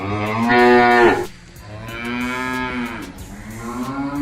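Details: Village cows in a herd low in deep, drawn-out, buzzy moos of about a second each; the second and third are slightly flatter and steadier than the first.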